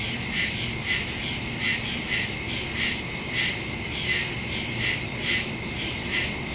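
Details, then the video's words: Crickets chirping in the woods after dark, September 2, 2023, phone and stereo microphone recording; a shrill constant buzz beneath evenly spaced louder chirp pulses recurring about every 0.8 seconds. "Crickets in the woods at night"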